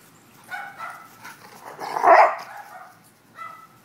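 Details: Dogs Leroy and Oscar playing: soft whines rise into one loud rough bark at about two seconds, then a quieter yip at the close.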